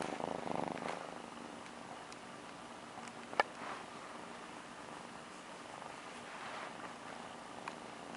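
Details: Male Sphynx kitten in Las Vegas, just woken from a nap, purring softly in a quiet room; a low steady rumble pulses with its breathing, with a few faint clicks and light handling noises.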